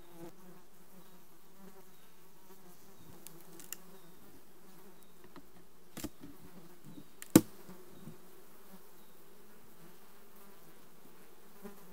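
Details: Honey bees of a colony requeened in June 2020 give a steady, low droning hum with layered harmonic tones, unbroken throughout, while a few sharp knocks and clicks punctuate it, one louder snap near the middle.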